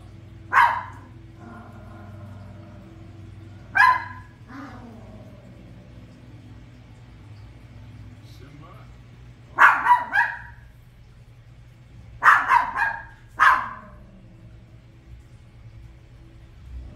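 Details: Toy poodle barking while watching The Lion King indoors: sharp, bright barks spaced irregularly, a single bark, another about three seconds later, then doubled and tripled bursts toward the end, over faint television sound and a low hum.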